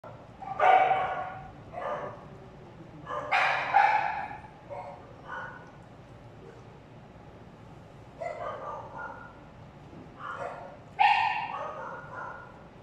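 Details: Dog at feeding time, shown calmly eating without food aggression: a series of short barks in bursts around 0.8, 2, 3.5, 5, 8.5, 10.5 and 11 seconds, with quiet gaps between.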